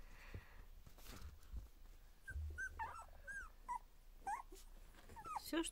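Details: Two-week-old Border Collie puppies at their first play together, giving a run of short, high squeaky whimpers that bend up and down, some close together, over soft low rumbles, shuffling and quiet human talk.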